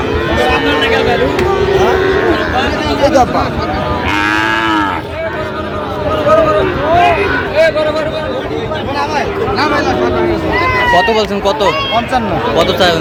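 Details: Sahiwal cattle at a Barisal, Bangladesh livestock market on 12 September 2025, with bull calves on sale. Several drawn-out, wavering moos rise and fall over a busy backdrop of crowd chatter and bargaining voices.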